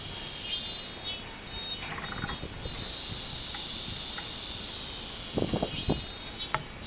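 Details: Robust cicada recorded on 24 July 2016, producing a continuous high, shrill buzzing drone with a few pulsed swells at the start and end, and several short low knocks or thumps near the close.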